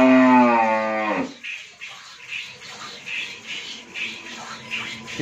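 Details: Friesian cow that has calved for the first time, kept with her heifer calf at Mrittika Dairy Farm, Bhangura, Pabna, Bangladesh: one loud, rich harmonic moo lasting about a second, dropping in pitch at the end, then rhythmic hissing, splashing noise.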